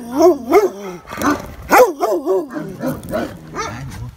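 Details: Benno, a dog said by a former owner to be a Landseer, at the Biberach animal shelter, fearful of an unfamiliar person; a run of deep, harmonic, arching barks and yowls in quick succession, with a voice faintly mixed in.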